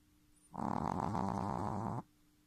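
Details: Snoring Shih Tzu puppy, just three months old, giving one sustained rasping, fluttering snore of about one and a half seconds over a faint constant background hum.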